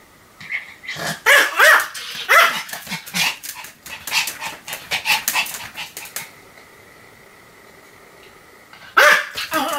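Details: Pomeranian named Sam barking continuously, recorded 7 October 2015: a quick run of sharp, high yapping barks with clear tonal rises over five seconds, a pause with a faint steady hum, then one more loud bark.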